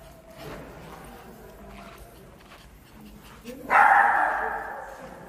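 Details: Shih Tzu indoors giving a single loud, broad bark late in the stretch after quiet room noise, with a woman's voice calling a dog nearby.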